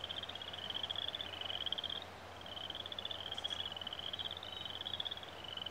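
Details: Frogs give a high, fast pulsing trill that runs almost without a break, pausing for a moment midway, over a faint low hum, with birds singing in the background, where geese families raise their young.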